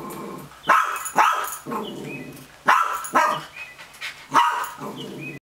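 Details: A dog barks repeatedly at an empty chipmunk trap: short, harsh, forceful barks, about six in five seconds, mostly coming in pairs and separated by brief quiet gaps.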